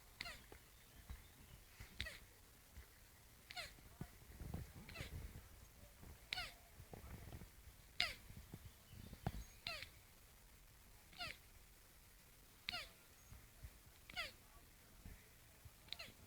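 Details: Two turtles mating, giving faint, squeaky calls that sweep downward, repeated steadily about every one and a half seconds, with soft low thumps and rustling between them.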